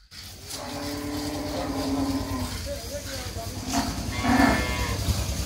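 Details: Holstein Friesian cow, recently calved for the second time with a heifer calf, kept for sale; a low, drawn-out moo with a steady tone, under background chatter and farm noise.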